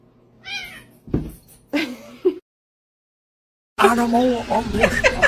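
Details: A cat gives a short meow with stacked harmonics, then a sharp knock and a brief louder meow-like cry, a silent pause, and human voices talking over the end.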